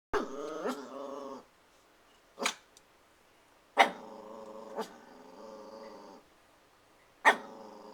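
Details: Christian, a protective puppy eager to play with the household cats, growls and barks indoors at nothing: drawn-out rough, buzzy growls broken by sharp, clipped barks roughly every one to two seconds.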